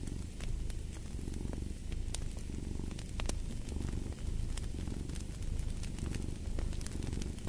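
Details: Domestic cat purring in a low, steady rumble that swells and fades with each breath, roughly every second, beside a fireplace whose sharp crackles and pops punctuate the recording.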